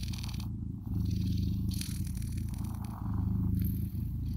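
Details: Blue British Shorthair kittens give a low, even purr that pulses in long breaths, the rumble cycling in and out, with faint fur-rustling and scratchy handling noise.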